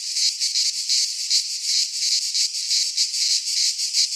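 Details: Wild cicadas in a pine forest in Greece sing in midsummer. Their shrill buzzing throbs in fast, uneven surges, about three beats a second, over a constant hiss.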